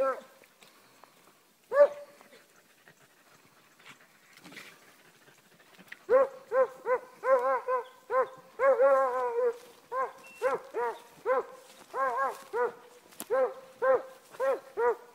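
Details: Shaggy, a Beagle/Walker mix working hound and jump dog, trailing a scent from the road while hunting; after a few isolated yelps, steady repeated harmonic bawling barks about two to three per second, with a man urging him on.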